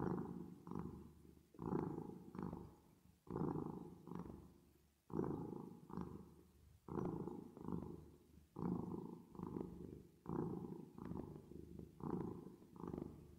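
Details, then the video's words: A cat purrs steadily while resting, processed with reverb. About fifteen regular rumbling pulses run in a rocking in-and-out breathing rhythm, each about a second long, low and continuous with no other sounds. "10 Minutes Of Cat Purring Sound With Reverb Effect"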